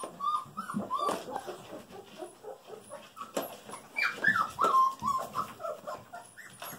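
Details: Golden Retriever puppies, a litter of females just over five weeks old, whimpering indoors: a busy run of high, thin whines and squeaks around the middle range, overlapping and irregular, several pups calling at once with soft handling noises.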